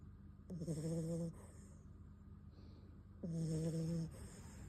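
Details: Bon, a sleeping Beagle puppy, snores twice: each long, steady, low hum with a faint high whistle on top, separated by a quiet indoor pause.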